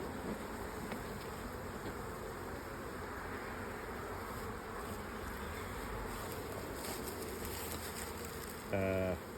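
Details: Crowded hive of honey bees from a surprise late swarm, opened by beekeepers; steady, even droning hum throughout, ending with a brief louder tonal burst.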